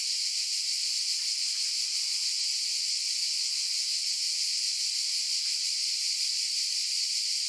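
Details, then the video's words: Unbroken shrill drone of cicadas, a sizzling high-pitched wash holding an even level for the whole stretch, with only a slight shimmer in texture and nothing else audible. "Cicadas Noise Sound Effect"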